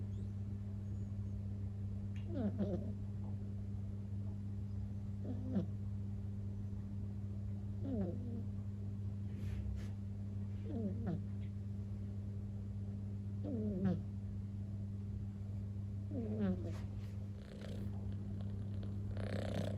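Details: Tired kitten asleep indoors in a doll stroller, snoring softly; each faint snore sweeps briefly, repeating about every three seconds over a steady low electrical hum.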